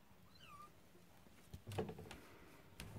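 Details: Cornish rex and Scottish fold kittens on their first time out: one brief, thin, high meow that slides downward, followed by soft thumps and rustling in a small room.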